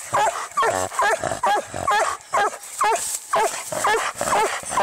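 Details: Treeing Walker Coonhound fighting a raccoon, giving rapid, strained bark-yelps about twice a second, each with a bent, wavering pitch, over a steady hiss; short gaps between bursts.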